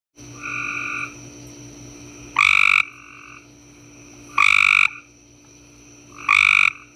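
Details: Several Cope's gray tree frogs calling in a backyard in summer: loud, harsh trilled bursts about half a second long, repeated roughly every two seconds, with quieter two-toned trills from other frogs between them and a steady high background hum.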